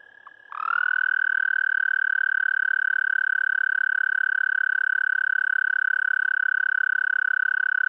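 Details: American toad (Anaxyrus americanus), mating call: attracting a mate.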